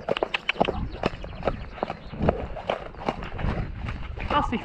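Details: Hooves of the Shire horse Damon striking the ground in quick, slightly uneven clip-clops on the 2 May pickup trip toward Falkendorf, with a man's voice talking continuously above the footfalls.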